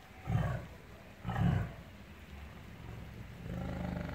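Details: Tiger making two short, deep, low grunts about a second apart, followed by a softer sustained rumble.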